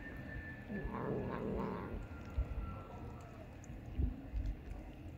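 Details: Loud, cheeky stray cat met on the street gives a drawn-out, wavering meow lasting about a second, with a second yowl close behind, over low rumbling street noise and a faint steady tone.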